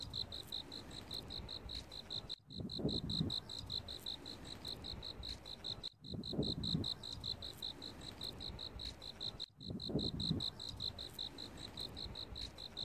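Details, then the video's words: Crickets in autumn: steady high-pitched pulsed chirps, about eight pulses per second, running without pause, with brief dropouts roughly every 3.5 seconds followed by low rustling bursts. "귀뚜라미 소리 귀뚜라미소리ASMR"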